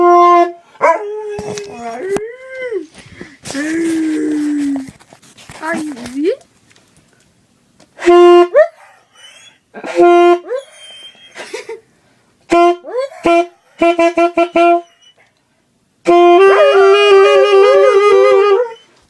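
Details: Pet dog singing along while its owner plays music, giving wavering howls and yips that slide up and down in pitch, broken into short bursts with pauses, ending in a long, sustained howl.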